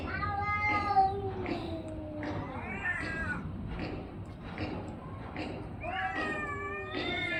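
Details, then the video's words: Orange and white domestic cat giving a run of harmonic meows and drawn-out wavering yowls, several overlapping, some sliding downward, over steady background hiss. "cat funny sound"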